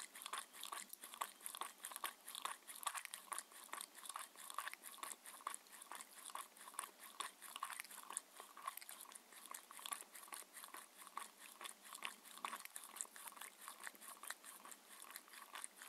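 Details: Mindy, a 6-year-old Shetland Sheepdog, eats her raw-food dinner in a small room. Continuous rhythmic crunching and mouth smacks run at a rate of more than two bites per second, steady throughout, with no talking.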